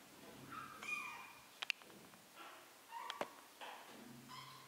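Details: Three-week-old kittens learning to walk give short, thin meows scattered between bumps and sharp knocks, with quiet gaps between the calls.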